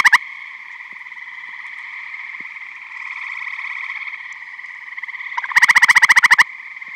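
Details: At a frog-filled Michigan vernal pond in spring or summer, eastern gray tree frogs trill in chorus, then a nearby male gives a loud, rattling pulsed trill lasting about a second above the background buzz.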